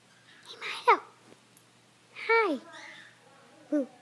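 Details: Shiba Inu puppy named Milo, indoors on a couch with its family: two drawn-out, falling whiny yelps about a second and a half apart, then a short squeak, with breathy sounds in a quiet room.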